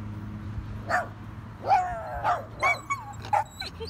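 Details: Solomon, a Belgian Malinois mix, out at a dog park, gives about six short sharp yelping barks, some bending into brief whiny rising-and-falling tones, with a low steady rumble underneath.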